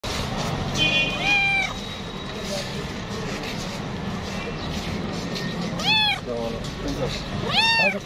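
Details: Stray, homeless street cats being fed, with several drawn-out meows that arch up and fall, spaced irregularly, over steady street noise and a man talking nearby.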